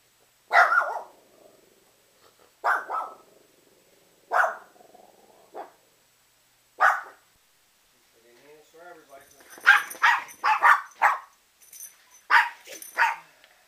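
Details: Pet Rat Terriers barking in short separate bursts, then a quicker cluster of higher, harmonic yelps near the end, with a person's voice encouraging them.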